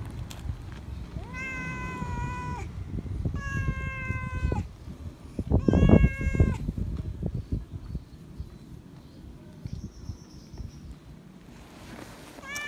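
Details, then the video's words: Meowing loud for attention and love, a feral cat gives three sustained harmonic meows about two seconds apart, the third overlapping a burst of thumping, then quieter rustling with a faint high tone and a final short meow onset. "Feral Cat Still Remembers Me, Meowing Loud For Attention And Love - Cats Meowing"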